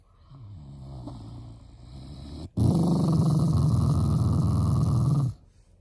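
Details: Affectionate growling from a family Shiba Inu, not angry: a softer low grumble first, then a loud, harsh sustained growl for nearly three seconds before stopping.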